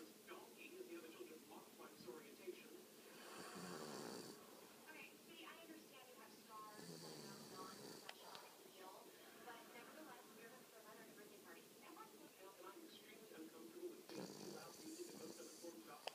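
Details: Sleeping pet dog named Buggs lets out long, wheezy snoring breaths at intervals of several seconds, while quiet human speech murmurs through the gaps.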